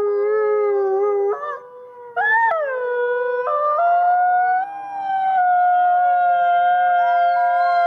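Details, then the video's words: Group howl of captive gray wolves in South Salem, New York: drawn-out pure tones overlapping, with a brief dip near two seconds, then voices rising and gliding upward into a fuller, higher chorus. "Thirty-three Wolves Howling"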